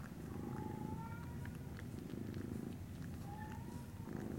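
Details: Norwegian Forest Cat kittens at a breeder, recorded 19 January 2017: steady low rumbling purr throughout, with faint thin whistled tones near the start and end and scattered soft clicks.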